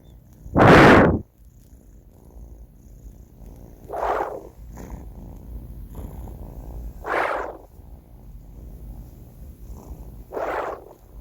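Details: Four-month-old cat Banh Mi snoring in his sleep, four raspy snore breaths at an even pace of roughly one every three seconds. The first is loudest and the later ones are softer, over a faint low hum.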